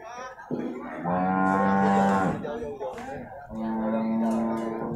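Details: At Purwakarta's livestock market on Monday, 15 July 2024, beef cattle give two sustained, low, rich moos about a second apart, each over a second long, with faint music and crowd noise.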